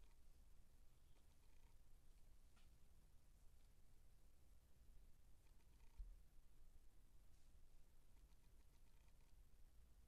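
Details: Nineteen-day-old Siamese kittens give a faint, unbroken low-pitched purr across the whole span, with occasional soft rustles and a single small knock partway through.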